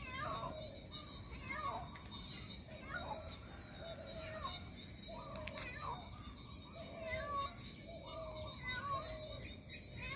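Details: Cat meowing repeatedly while calling for its missing kitten; drawn-out, wavering harmonic meows roughly every one to two seconds over a steady background hiss.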